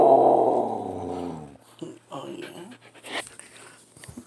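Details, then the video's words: Hungry female Samoyed puppy howling to ask for breakfast: a loud, drawn-out, wavering howl about one and a half seconds long, then a woman's voice asking if she is hungry, with faint dog vocal sounds between the words. "Awoooaoo Yes Hooman, of course I'm hungry. This Samoyed Pupper is ALWAYS hungry"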